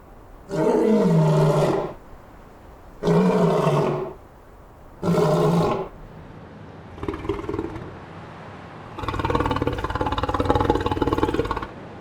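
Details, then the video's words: Lion roaring in the African savanna: three loud, deep, harmonic roar bursts about two seconds apart, followed by a quieter grunt and a longer, rougher, broadband roaring passage near the end. "The LION roar in the African savanna"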